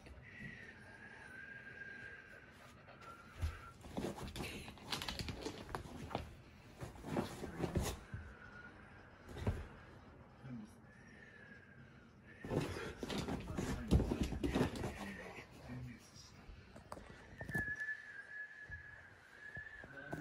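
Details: Akita-inu dogs indoors, Patako, a four-year-old brindle female, and Komugi, a three-year-old red female, after Komugi is scolded for overexcitement; drawn-out high whines recur several times, with thumps, rustling and room noise between.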